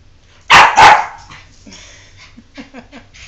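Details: Pet dog named Jordan, resisting being coaxed into a bath: two loud, high, strained yelps in quick succession, followed by a run of soft, short whining yips.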